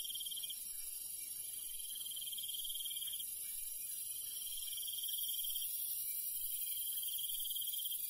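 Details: Rural night soundscape of crickets, with high trilled phrases repeating roughly every one and a half to two seconds against a steady, shrill insect hum.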